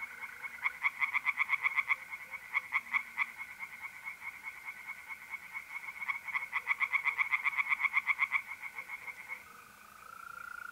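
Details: Mid-April night at a pond in North-East Italy: tree frogs deliver loud, rapid croak trains in waves for nine seconds, then fall silent, leaving the smooth steady trill of mole crickets.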